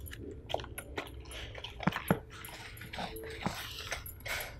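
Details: Female Siberian husky eating a beef stew dinner indoors: wet chewing, sharp bites and lapping clicks in irregular bursts, with a faint hum underneath.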